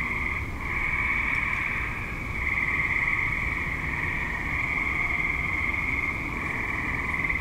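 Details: Active suburban tree frogs calling at dusk and into the night, a dense continuous trilling chorus in steady high bands that swells and eases every couple of seconds, over a low traffic-like rumble.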